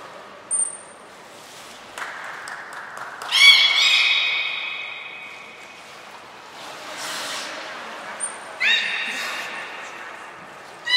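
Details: Belugas Hodoi, Taanya and Mirai at Port of Nagoya Public Aquarium, 14 March 2021, during pool moving and training. They give harmonic, nasal calls with stacked overtones in two bouts. A thin high trainer's whistle and a murmuring crowd sound around them.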